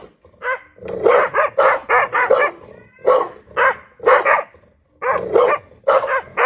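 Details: A loud dog gives clusters of two to four sharp, resonant barks separated by short pauses, about fourteen barks in all, against a quiet background.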